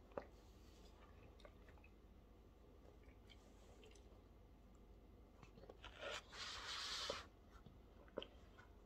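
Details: Staffordshire Bull Terrier eating indoors in a small room: soft scattered crunches and bites, then a dense rustling, crackling burst lasting about a second before the quieter chewing clicks resume.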